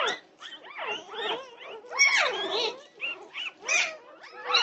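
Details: Norwegian Buhund puppies at 2:30 am on June 08, 2021: a continuous tangle of high, overlapping whines, squeals and yelping cries, several pups calling at once with rising and falling tones and no pause.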